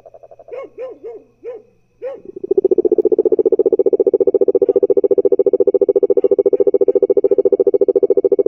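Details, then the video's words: Cururu toad: several short rising-falling warbled notes, then a long, loud, steady pulsed trill lasting about six seconds at a fast, regular rate. "sapo cururu cantando engraçado"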